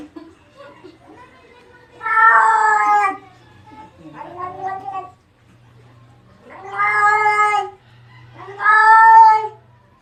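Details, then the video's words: Adopted cat, taken in after being found near trash in Antipolo, making a strange voice: four drawn-out, harmonic yowls, the second softer and shorter, spaced about two seconds apart, with a faint low hum between them. "Strange Cats Noise"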